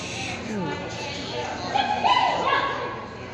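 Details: Whippet named Lottie making drawn-out, talking-like vocal whines that rise and bend in pitch, louder and more strained toward the middle, over a steady background hum.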